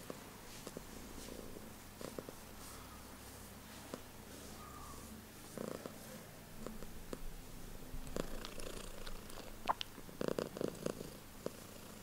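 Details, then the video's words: Female pet cat purring loudly, a low steady rumbling pulse that swells slightly near the end, with occasional clicks and small movement noises. "This Purring Comes From Her Heart!"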